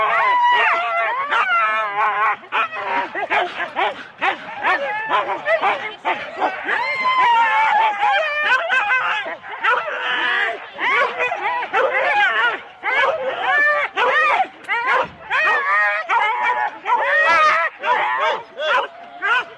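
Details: Four-dog Husky sled teams waiting at the start, Rendlesham, January 2016, taped on analogue cassette; continuous excited barking and yelping from many dogs at once, wavering whines layered over it, people talking underneath.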